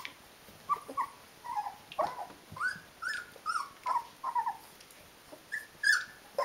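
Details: Rhodesian Ridgeback puppies, D-litter, aged 19 days: a steady series of soft, short whimpering squeaks, some bending upward in pitch, spaced about every half second, with a faint steady hiss in the background.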